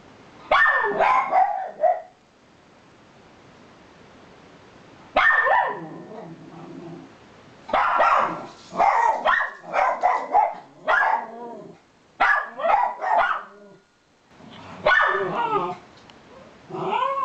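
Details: Miniature Schnauzer giving repeated clusters of barks and yips separated by short pauses, some notes rising and falling in pitch, with faint background hiss between bursts.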